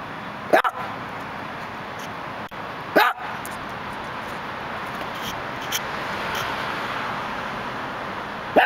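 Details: Male Dachshund looking out through a gate in Los Angeles gives three sharp, isolated barks spread over several seconds, the longest gap about five seconds, over a steady hum of city traffic.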